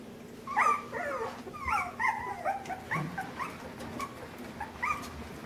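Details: Several puppies exploring a pen with overhead obstacles and climbing objects whimper continuously, overlapping thin high whines and squeaks rising and falling in quick succession.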